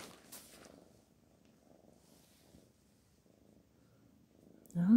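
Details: Soft, faint purring from Black Panther, a pet cat, a low pulsed rumble under quiet rustles, ending with a sudden rising voiced sound as a person begins speaking Persian.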